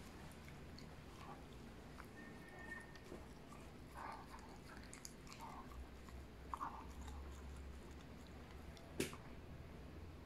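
A Cocker Spaniel chews noisily, with soft wet crunches and clicks over a low room hum.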